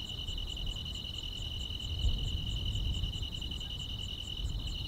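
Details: Summer-night grass insects keep up a continuous piercing trill, with quick high pulses ticking steadily over it and a low background hum that swells briefly around the middle.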